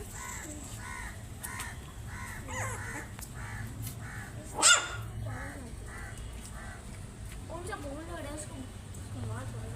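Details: Puppies trying to find their mother: short squeaky calls repeated about twice a second over a steady hum, one sharp click midway, then quick wavering squeals near the end.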